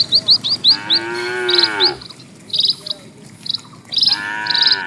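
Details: Among dozens of cattle walking slowly along a quiet rural road, a full, rich moo sounds for about a second, then another begins near the end, while a bird keeps up quick, high chirps and short phrases.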